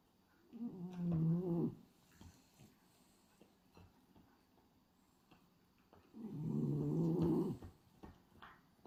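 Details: French Bulldog, a male, sleeping indoors with its tongue flapping, snoring in two long rumbling breaths about five seconds apart, low and throaty, with quiet room sounds between.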